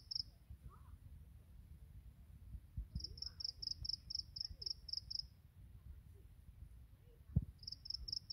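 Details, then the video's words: Grass insects in morning song: a steady run of about ten high, ringing pulses followed by a pause, then another run starting, with low rumbling noise and a brief thump underneath. "풀벌레의 아침 노래"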